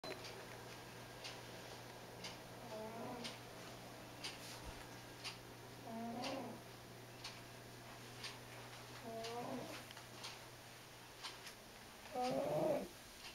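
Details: Freddie, a big fat white diabetic cat, snoring loudly while asleep indoors; rasping breaths with a tonal, wavering whine come roughly every three seconds over a steady low hum.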